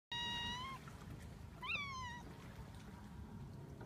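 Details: A young kitten facing the ocean for the first time gives two clear, tonal meows: the first steady and drawn out, the second rising sharply and then sliding down. Soft surf hisses steadily behind.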